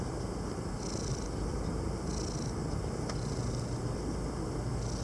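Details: Tomcat purring as he enjoys the shade on the island of Krk, Croatia: a steady deep purr, with a faint click, under a background of high, regularly pulsing hiss.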